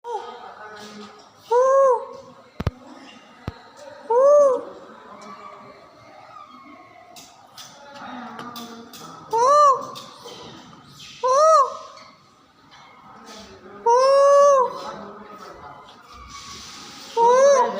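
A monkey gives short, arching, tonal calls that rise and fall, repeated every couple of seconds.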